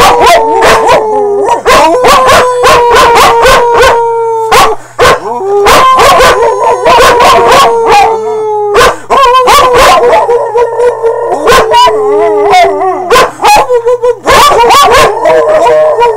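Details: Dogs singing as a holiday greeting: loud, drawn-out howls slide slowly downward in long tones, broken by sharp yips and barks throughout.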